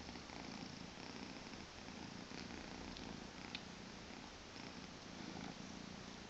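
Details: Two-month-old Maine Coon kitten purring indoors on a weekend morning: a soft, steady, even rumble with faint low buzzing bands and no breaks.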